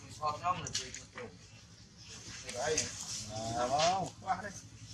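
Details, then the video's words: Baby macaque Dalton lies on the ground crying while his mother Dolly ignores him; several wavering, harmonic wails rise and fall in short bursts, with the longest drawn-out cry near the middle, over a soft background hiss. "Monkey mother Dolly doesn't care about Dalton, the baby monkey lies on the ground and cries"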